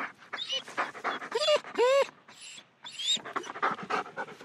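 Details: German Shepherd dog panting and whining while moving about; rapid breathy pants throughout, broken in the middle by two high, arching whines and a later short whimper, then more quick panting.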